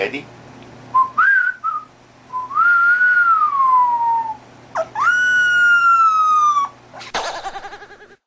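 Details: Small dog howling in a series of high, tonal cries: short wavering notes first, then a long falling howl, then a rich, sustained howl held level for almost two seconds, ending in a brief noisy burst.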